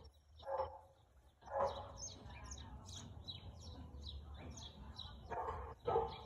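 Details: Husky barking on 4/2/2022 at 2:57 pm: a few short, gruff barks in two pairs, near the start and the end, while small birds chirp high and steadily in the background over a low outdoor hum.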